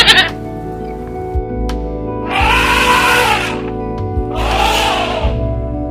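A goat gives two drawn-out, quavering bleats, one after the other with a short pause between. Soft, steady music plays underneath throughout.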